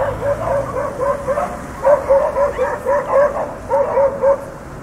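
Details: Dogs barking: a rapid, uneven run of about a dozen short, mid-pitched barks, some doubled, with a steady low hum underneath.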